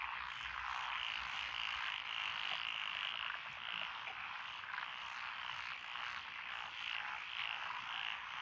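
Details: Paddy frogs of Echizen, Fukui, Japan, among them tree, pond, wrinkled, Schlegel's green and forest green tree frogs, heard in lotus rice fields on 12 June 2021; continuous dense croaking with quick rhythmic pulses about twice a second.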